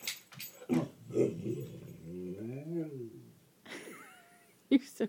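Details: Dot, a five-year-old female American Mastiff, vocalizing at dawn to get her owner up to let her out to pee: a drawn-out, wavering, wobbling moan with rising-and-falling pitch, mixed with an affectionate human voice talking to her.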